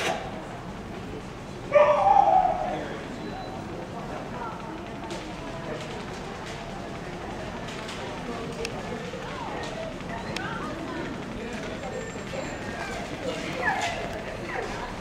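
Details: Sadie, a dog at an indoor agility trial held by JB's Wild Child Agility Club in Dexter, Michigan, on January 4, 2009, anxious and excited, lets out one loud burst of barking early on over a steady hall murmur of voices.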